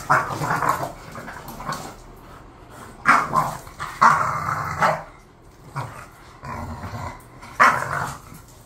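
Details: Two bored bulldogs, Khan and Ali, mix gruff barks with grumbling growls in irregular bursts, several loud peaks separated by lulls of soft muttering.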